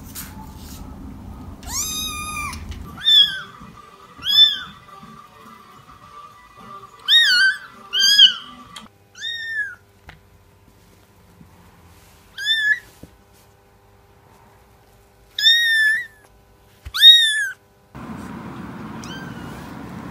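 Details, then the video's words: Kittens meowing in short separate bursts, high harmonic cries, some rising then falling, about a dozen over twenty seconds, with quiet gaps between and a low hum near the start and end. "Cats Meowing – Kittens Meowing Video – Cute Kitten Meowing Videos – Funny Cat Meows"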